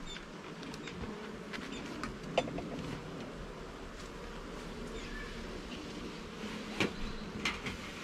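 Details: Honey bees droning in a garden hive as its frames are inspected. A steady low buzz carries through, broken by two louder clacks of wood and brief rustling.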